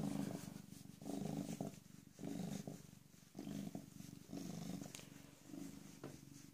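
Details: A rescued female cat, about 18 or 19 months old and recently spayed, purring close up; a low, steady rumble swelling and fading in regular breaths about once a second.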